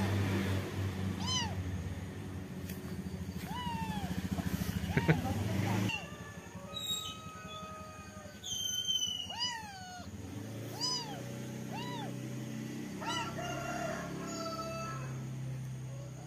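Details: Kitten repeatedly mewing, with about a dozen short, high, arched meows scattered through the recording. Low rumbling background noise, possibly a passing vehicle, fades midway, and a few brief clicks and rustles are heard.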